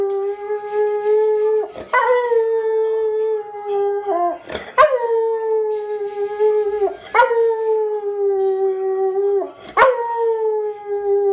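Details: Pet dog howling as it sings along to the Enchanted Tiki Room song: long, steady, tone-rich howls held for seconds at a time, broken by short sharp breaks roughly every two to three seconds.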